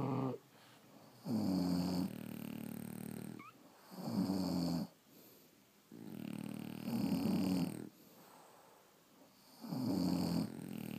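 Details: Heavy snores from sleeping French Bulldogs: deep, rattling, guttural bursts about a second long, returning every two seconds or so, separated by quiet inhalations.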